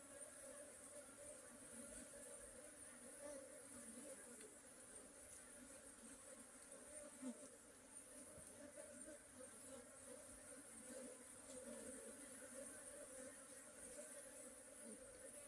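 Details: Long, unbroken hum of honey bees, low and steady with a faint overtone, rising and falling gently in loudness. A faint high hiss accompanies it.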